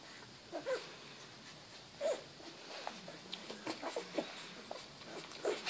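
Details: Rottweiler. Young Rottweiler puppies whine and squeak in short, thin, high-pitched bursts that come at uneven intervals. Soft rustling and faint room noise sit underneath the calls.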